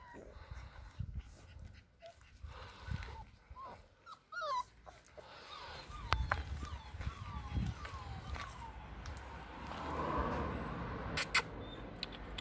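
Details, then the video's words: Alaskan Malamute puppies at six weeks old: a run of small, quick, downward-sliding whimpers repeated about every half second, over low thumps and handling noise, with a woman's voice nearby. "Alaskan malamute puppies 6 weeks old"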